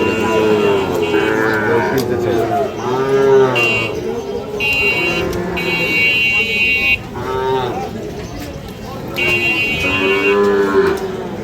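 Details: Sahiwal bull calves being fattened for sale at Ambari cattle market, Parbatipur, Dinajpur, on 5 May 2025, low harmonic moos rising and falling several times over steady chatter of traders haggling, with bursts of background music.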